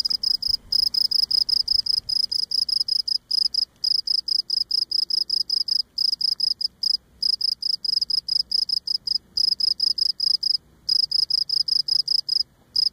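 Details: Close-up of a Cape Cod cricket singing by rubbing legs against abdomen; rapid, steady series of high, shrill chirps running almost continuously, broken only by a few short gaps.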